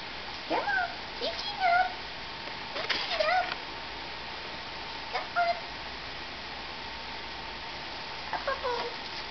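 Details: Newborn Nubian goat kids, two sets of twins born January 29, 2010, taken from their mothers after birth and still learning to stand and walk before a winter snow storm; several short, wavering, high bleats between a woman's soft coaxing speech.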